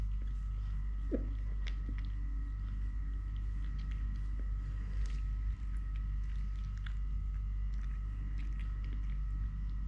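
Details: Totoshka, a three-legged domestic cat, keeps up a low, steady purr indoors while chewing and moving about; irregular light clicks and taps sit over the rumbling drone.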